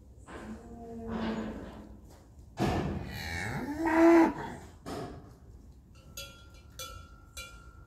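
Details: Tudanca cows and heifers with calves in Cantabria, Spain: a loud, drawn-out moo rising then holding for about two seconds, preceded by softer, lower lowing, followed by metallic ringing like a cowbell.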